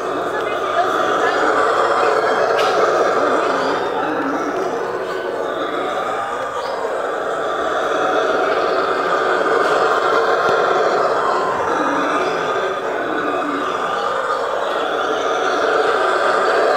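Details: Howler monkeys (Alouatta) at a municipal zoo in Sorocaba, São Paulo, Brazil, recorded 23 November 2017, roar in a deep, continuous, rumbling chorus that swells and fades without pause.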